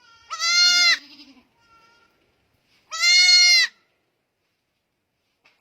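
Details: Goat giving two loud, harsh bleats about two and a half seconds apart, each held for over half a second, with soft low sounds between and a third call starting at the end.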